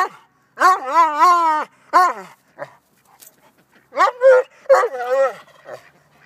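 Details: A male Vizsla, facing off with a silky rooster, gives drawn-out, yodelling barks that rise and fall, in bursts with short pauses between.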